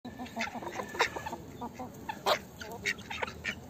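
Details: Mixed poultry, including chickens, a duck, geese, turkeys and guineafowl, free-ranging outdoors in a zoo yard: overlapping honks, clucks and squawks at irregular intervals, some louder bursts, over a busy background murmur.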